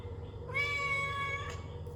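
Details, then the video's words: Domestic cat giving a single drawn-out meow about one second long, harmonic and fairly steady in pitch, over a low steady indoor hum. "What Do You Do When The Cat Makes This Noise"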